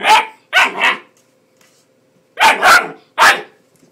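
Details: A 10-week-old male Bull Terrier puppy, upset by a hairdryer, gives two bursts of short, high, yappy barks, three in each group.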